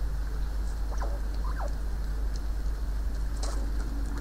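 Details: Two young squirrels "talking" at a forest feeder filmed from a window beside the woods: a few soft, quick descending chirps around the middle, over a steady low rumble of background noise.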